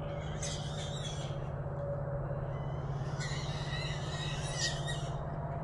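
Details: Small trap holding three wild hogs at night: two rounds of shrill, wavering squeals, the second longer and louder, separated by a short lull, with an unbroken low hum below.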